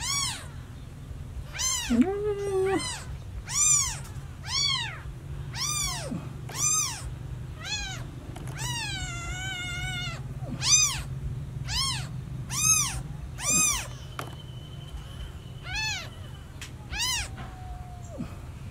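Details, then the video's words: Very young kitten missing its mother gives insistent, high meows about once per second, each a quick rise and fall, with one longer wavering cry midway and a faint low hum underneath. "Newborn cat meowing too loudly for mom - Baby kitten meowing very much when lost mom"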